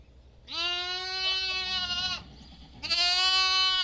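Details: A lamb gives two loud, nasal baas, the first long and steady, the second starting after a pause.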